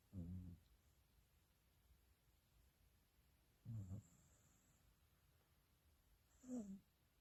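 A corgi snores in low, rumbling bursts spaced a few seconds apart.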